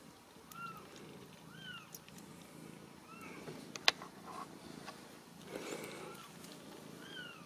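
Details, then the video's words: Home-raised Ragdoll kittens in central Kansas, uncaged, give faint high mews, each a short upward-then-downward slur, repeated irregularly every second or two, with a sharp click and light rustling in between. "Ragdoll Kittens"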